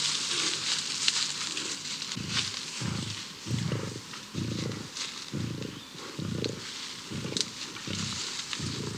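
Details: Young male lion, two and a half to three years old, expelled from its pride and searching alone in the wild, giving a series of deep grunting pulses roughly every half second over loud, steady high hiss.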